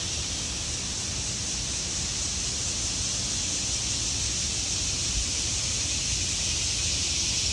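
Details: Cicadas singing in the trees in autumn: a dense, steady high-pitched hiss with no pauses, holding level throughout, with faint low rumble underneath.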